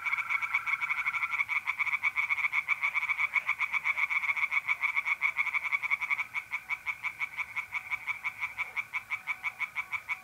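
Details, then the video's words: Tree frogs chorusing after dark at a North-East Italian pond in mid-April: loud fast croaking pulses, easing into slower, spaced bursts in the second half, alongside the steady trill of mole crickets. "relaxing singing tree frogs in pond and trilling mole crickets by night"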